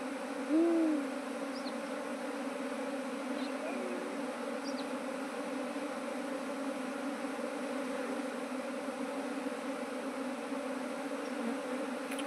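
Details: Drone of kept honey bees in colonies multiplied from one hive. The deep continuous hum runs throughout, opened by a short hoot-like tone and scattered faint high chirps.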